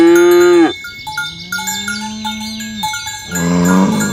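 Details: Tame village cows herded along village roads in the morning, dozens of fat cattle walking in line: a short moo, then a long, steady, low moo and a third starting, over constant clinking cowbells.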